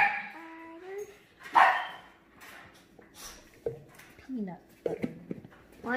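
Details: Havanese Maltese mix dog recovering after neutering, indoors, giving short whiny yips and sharp barks in uneven bursts, some with a rising whine, while a person talks and coaxes it with peanut butter.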